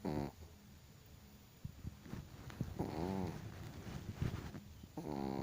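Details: Loud snoring from a Chihuahua: short buzzy harmonic snores at the start, near the middle and at the end, separated by quieter rough breaths and faint low background rumble.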